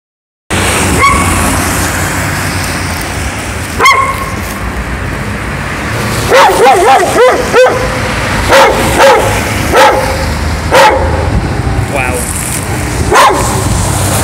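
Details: A dog barks in short, irregular bursts, some yelping and some pitched a little higher, on West Street, Sheffield.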